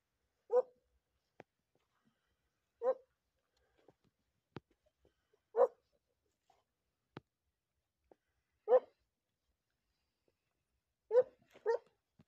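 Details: Segugio hunting dog barking while in training on hare, 28 February: loud single barks repeated every two to three seconds, with a double bark near the end, plus faint clicks between them.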